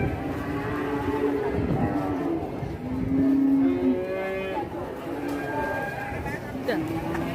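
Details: Aggressive cow in Indonesia bellowing in a run of overlapping, harmonic moos, the loudest a steady drawn-out bellow mid-clip, followed by shorter wavering calls and knocks.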